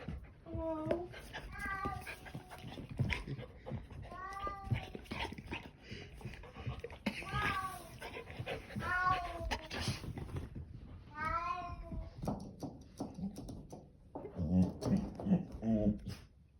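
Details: Bengal cat, a very vocal pet, giving a long string of drawn-out, wavering meows, some rising then falling, with short gaps between them, while people talk in the background of a small indoor space.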